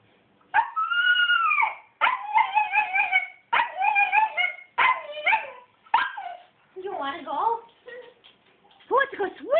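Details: Coby the dog, eager to go swimming with other dogs at a fundraiser, answers questions with a run of whiny, yodelling, talk-like vocal bursts rising and falling, separated by short pauses, while a person speaks nearby.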